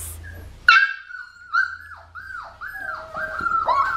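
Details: Female blue merle Australian Shepherd puppy, one of Magnolia's litter at an Oklahoma breeding farm. After a sharp first yelp come repeated thin, high whimpers, each bending downward, growing busier toward the end, in a quiet room.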